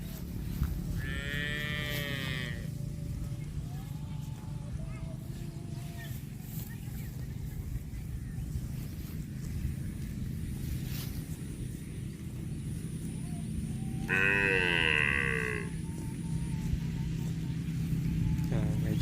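A cow gives two drawn-out, harmonic moos over a steady low rumble of background noise.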